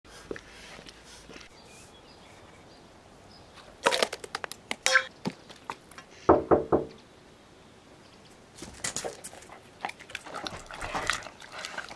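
A Weimaraner chews raw food, with bursts of sharp crunching, clicking and smacking between quiet pauses.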